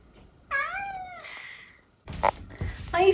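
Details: Eric, a talkative senior tabby mix cat living with his family in the UK, gives one drawn-out, tonal meow that dips then levels off, followed by a person speaking and asking if he feels okay.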